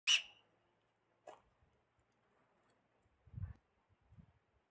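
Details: A Himalayan tahr near a watchtower by Chopta gives a sharp, hissing whistle-snort followed by a softer second burst, supposedly an alarm call. A female, male and kid were seen licking salt there.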